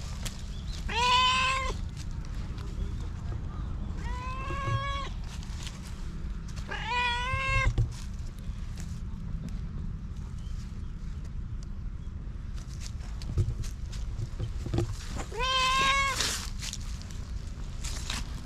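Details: Stray cat in Japan, once abused and now trusting people again, meowing four times at irregular intervals, each meow a clear harmonic cry with a slight rise, against constant low background rumble.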